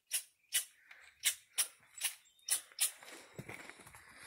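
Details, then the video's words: Angry squirrel on Deer Mountain, startled by hikers descending from 10,000 feet; a series of sharp, very high chips, about seven in three seconds, followed by rustling and scuffing noise. "Angry Squirrel on Deer Mt"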